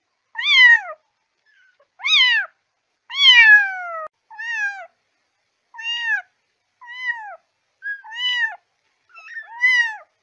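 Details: Kitten meows used to call cats: eight high, clean meows with rich harmonics, each rising then falling, spaced roughly every 1.2 seconds, with a longer drawn-out cry near the middle. The background is silent.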